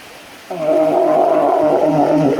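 A walrus lets out an abrupt, drawn-out bellow, deep and rich in overtones, almost like a groaning roar. The call starts sharply after a short quiet moment and holds a steady pitch throughout.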